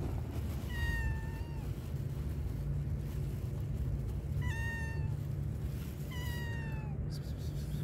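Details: Stray tabby cat in a park, waiting for food, meows three times, each a clear drawn-out cry that slides slightly downward, spaced two to three seconds apart, against constant low traffic rumble.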